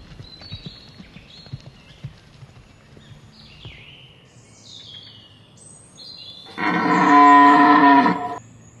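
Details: A red deer stag in the rut gives a loud, deep, harmonic roar after faint birdsong, at Hoge Veluwe National Park on 19 September 2010; the original sound was replaced.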